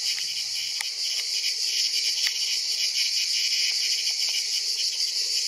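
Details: Ash cicada, Cicada orni, being caught and eaten by a praying mantis, Mantis religiosa; dense, continuous high-pitched rasping buzz with a fast pulsing texture, with brief low rustling at the start.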